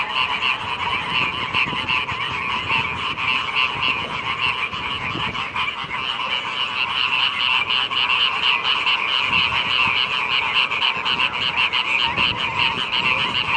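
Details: Rainy-season frog chorus, a steady wall of fast, rattling croaks from many frogs at once, with a mid and a higher tone layered together and a faint low rumble underneath throughout.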